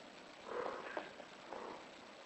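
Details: British Shorthair cat in heat producing a single brief, moderately pitched call with a slight catch in the middle, then a softer trailing call in a quiet room.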